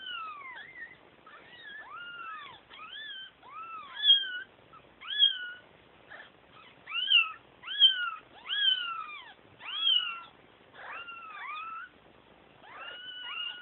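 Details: Several kittens calling for their mother, their meows overlapping in a busy chorus of arching, downslurred cries that come in quick bursts, with brief pauses between the groups.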